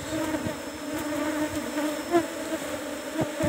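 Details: Asian honey bee colony in a managed hive box, number 17, during honey harvest, producing a steady humming buzz with faint layered overtones and occasional knocks from handling.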